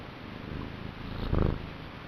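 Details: Male pet cat in a vigorous purr: steady low rumbling that rises to a brief, louder, fuller burst about two-thirds through before settling back.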